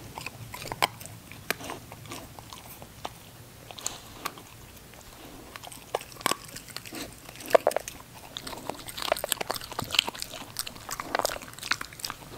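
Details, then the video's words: Ginger, a female English Cocker Spaniel puppy, at her eating show, with sparse, sharp crunching clicks scattered irregularly through a quiet background. Bites cluster more densely toward the end. "ENGLISH COCKER SPANIEL PUPPY EATING SHOW"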